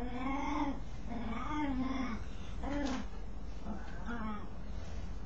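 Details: Dog voicing an odd noise as it scratches itself: five short, humped, nasal moans that rise and dip, spaced about a second apart, with faint background rumble.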